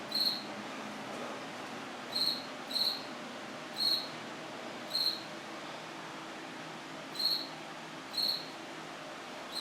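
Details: Indoors in a washroom, September 8, 2024, after nine at night, a cricket repeats short, shrill pulsed chirps, nine in under ten seconds at irregular intervals, some doubled, against quiet steady hiss.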